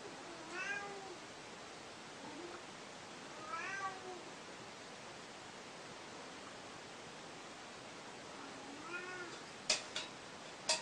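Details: Hungry cat meowing three times, each a drawn-out, wavering, rising-then-falling mew spaced a few seconds apart. Steady background hiss runs throughout, with a couple of sharp clicks near the end.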